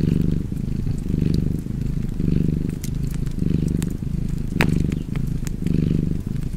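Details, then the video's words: A cat purrs contentedly near a fireplace, its low vibrating drone rising and falling with each breath, while a loud log pop and lighter crackles punctuate the rumble. "Purring Cat and Fireplace"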